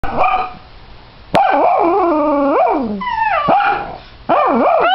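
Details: A dachshund gives a spontaneous drawn-out howl, its voice wavering and bending in pitch like a yodel, in several long bursts separated by brief breaths, with a sharper cry near the end; a second dachshund howls from another room.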